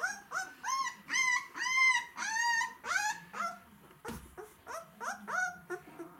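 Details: White Swiss Shepherd puppies whine in high, arching cries, repeated quickly; the fattest ones are said to always be the hungriest.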